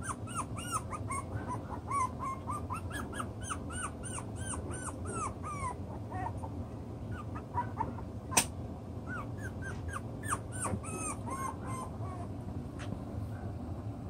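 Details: Six-week-old chocolate brown Toy Poodle puppies at play with their toys, working out the pecking order: dense bursts of high curved yips and whines, clustered in runs with short pauses, a sharp click near the middle, constant low rumble behind.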